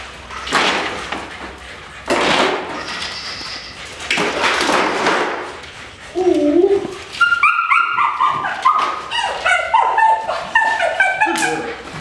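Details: Thuds and rustling noise lead into rapid, shrill yelping from Debbie, a female Dutch Shepherd in Topeka, Kansas with great nerves and intense prey pursuit, her excited whines tumbling quickly one after another in the second half.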